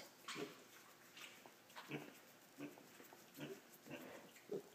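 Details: Five-week-old female piglet settling in a lap indoors after jumping onto a chair by herself; a steady series of brief, low, snuffly grunts roughly every three-quarters of a second, with a woman talking softly nearby.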